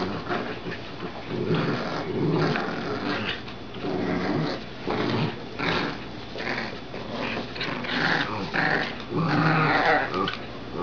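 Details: Playful growling from puppies, two Dachshunds and a Golden Retriever, wrestling over a glove indoors; rough, low growls in bursts with scuffling throughout.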